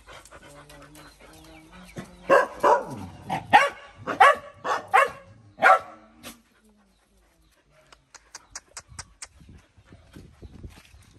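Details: Small dog angry at a larger bullying dog, barking in a quick irregular series after low rumbling, then falling quiet before faint high yips near the end.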